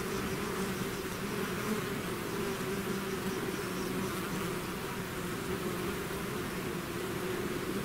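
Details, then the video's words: Swarm of bees out of its hive, a dense continuous buzzing drone with steady hum bands near 200 and 400, many wingbeats overlapping into an even, unbroken texture with no other sounds. "bees therapy swarm natural buzzing sound"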